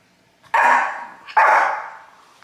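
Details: One of a pair of pet Shih Tzus barks as its owner urges it to say hi to the camera, after it had been growling at the other dog; two loud, rough barks about a second apart, with nothing else heard.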